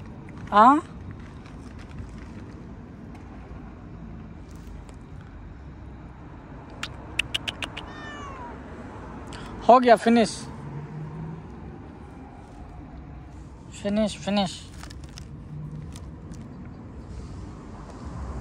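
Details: Cat outdoors, near a tree it is told not to touch, meowing in a few short bursts, some rising and falling, with a human voice and steady background hum.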